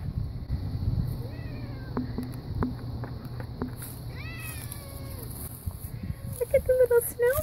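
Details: Nicholas, an eight-year-old rescued cat with some Maine Coon and a little Persian in him, out among snowflakes looking for grass to chew, gives several rising-falling mews midway and a cluster of short, higher meows near the end, over human talk and steady rumbling background noise.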